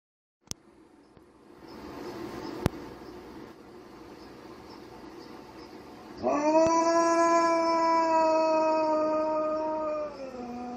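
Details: Loki, a malamute mix dog, howling: quiet hiss and a couple of sharp clicks at first, then a loud, steady, richly harmonic howl held about four seconds before dipping lower in pitch and breaking off.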